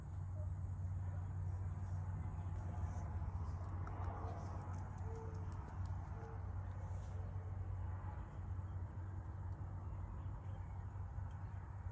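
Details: A low, steady hum with faint clicks and scattered noise fills the background, and no clear animal voice is heard.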